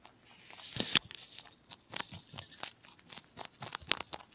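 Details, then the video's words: ZZ, a pet rabbit of mixed lionhead and Dutch breed, munching broccoli indoors; loud, close crisp crunches and tearing bites come in rapid irregular bursts, several per second, with short pauses between mouthfuls. "BROCCOLIS and RABBIT / ASMR / MUKBANG / Eating Sounds"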